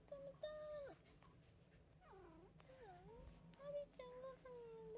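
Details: Pet cats indoors on 29 February 2024, one of a household of three (tabby, Munchkin, Abyssinian) at treat time near the kitchen: a series of about seven tonal meows, some short and flat, others wavering and bending down, in a quiet room.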